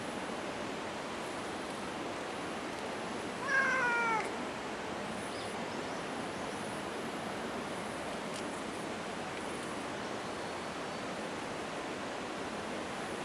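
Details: Shiro, a cat at Minoo Park, Japan, recorded 28 March 2024 while acting friendly atop an exhaust vent, gives a single short falling meow midway through, set against steady rushing background noise.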